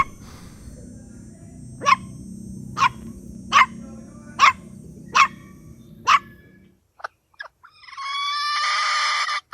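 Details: Puppies competing for toys on green grass: six short, sharp yips at a steady pace under a low hum, then a few faint clicks and a sustained tonal squeal at the end.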